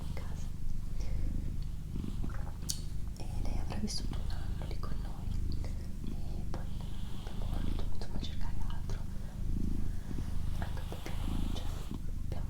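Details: Doroti, a female pet cat, purring steadily indoors: a low, continuous rumbling throb with rhythmic pulses, while a person whispers softly and makes light rustling sounds over it.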